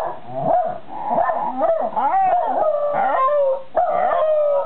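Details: Two dogs, a white Shiba Inu and a Jack Russell Terrier, howling together in the evening at 6 pm on 20 July 2018 in Japan; overlapping wavering, sliding howls with rising and falling pitch, sustained throughout.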